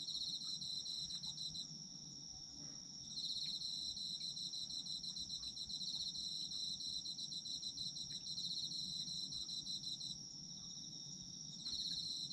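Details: Night chorus of autumn insects: an unbroken shrill high tone with stretches of rapid pulsed chirping switching on and off every few seconds, plus scattered faint clicks over low background hum.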